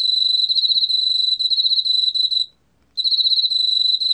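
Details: Emma field cricket singing, from a 2020 National Institute of Biological Resources recording: a shrill, rapidly pulsed trill for two and a half seconds, a brief silence, then the same high chirping again.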